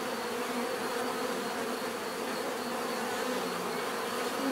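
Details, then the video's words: Relaxing natural bee buzzing: a continuous swarm drone, buzzy and even, with a few individual bees briefly sounding louder as they fly close. "bees therapy relaxing natural buzzing sound"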